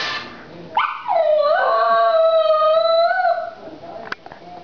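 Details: Pet dog howling at a ringing phone, as it does every time the phone rings: one long sustained tonal howl lasting about two and a half seconds, rising sharply then holding a steady, slightly wavering pitch before fading.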